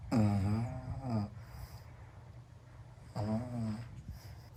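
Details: A pug snoring like an old man indoors: two loud, rasping snores with a low, harmonic tone, each lasting about a second and about three seconds apart, with quiet breathing between them.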